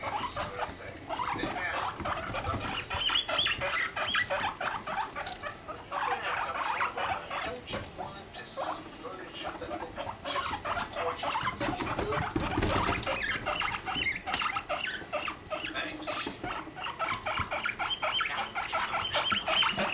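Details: Pet guinea pigs mating: the male Rumply with the female Fluff, five months old and at a healthy weight. Rapid, irregular chattering pulses repeat several times a second, with faint human voices in the background.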